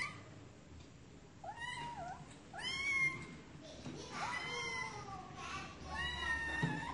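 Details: Cats giving a run of wavering, bending meows, several in close succession, some overlapping, with faint voices and indoor background noise.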